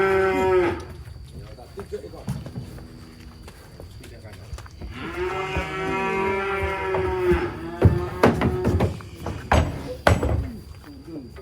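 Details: Giant cattle rampaging as it is unloaded from a truck, giving a drawn-out harmonic moo in the middle, with shorter lowing, loud knocks and bangs, men talking and background music.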